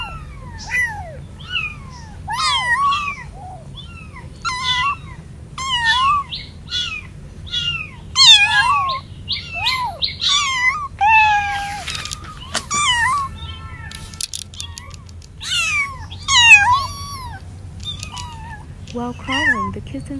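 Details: Several kittens away from their mother cat for the first time, meowing to find their siblings and call the mother: a dense string of short, high, falling mews, many overlapping, with brief rustling bursts.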